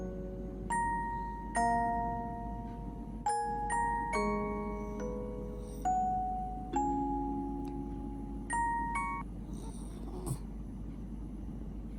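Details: A bright glockenspiel melody of ringing struck notes plays over a low steady hum, with no animal sound.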